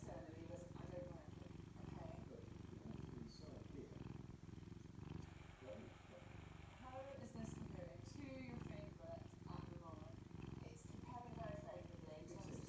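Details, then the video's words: Cat purring contentedly on a Saturday morning: a steady, low, rumbling drone that pulses with each breath throughout, while a person talks softly over it. "The Kitty enjoying Saturday morning and purring"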